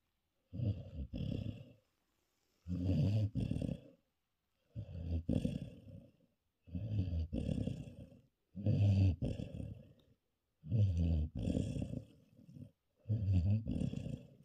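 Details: Basset Hound named Beans, exhausted after a weekend partying with friends, snoring heavily indoors: seven deep, rattling, growl-like breaths, each lasting about a second and a half, repeating roughly every two seconds with silent pauses between.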